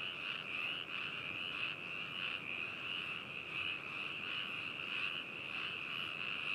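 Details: Frogs calling at Hakushu, Hokuto, Yamanashi, Japan, recorded 4 May 2018 with binaural microphones: a dense continuous chorus of overlapping trilled croaks with pulsing swells, many callers together, no other sounds.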